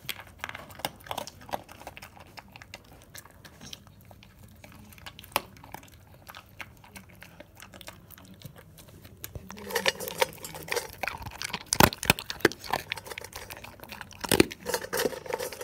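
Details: Sparse, light clicks of a male dog eating crispy, moist or bone foods build into louder, faster crunching bites in the latter half, with a few sharp cracks standing out.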